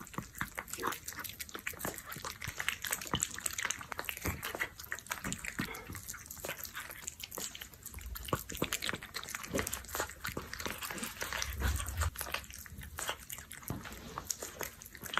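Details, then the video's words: Close, steady smacking and lapping of an orange cat working through canned food, irregular sticky clicks several times a second, with a faint low thump near the end. "警报暗黑罐头遭遇橘色挖掘机 存活时间1分钟"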